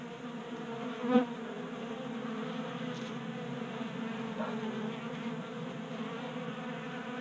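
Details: Honey bees feeding at a 3D printed table feeder in a Colorado garage, active in late January heat: level humming buzz with a brief louder tap just after one second and a faint rising whine later.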